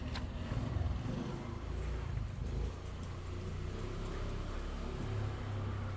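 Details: Deep rumbling engine noise of a road vehicle dominates, with faint background music and traffic.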